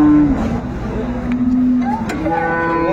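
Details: Dairy cow of an improved breed, with her calf, at Ambari market in Dinajpur on 22 April 2024; a brief low moo opens, followed by sustained lowing tones under busy market voices and crowd noise.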